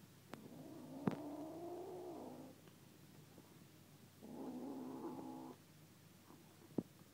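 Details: A 9-week-old female kitten gives two long, low, rumbling growls, each lasting a second or more, guarding a chunk of chicken she just found. Sharp knocks are heard between them. Cat.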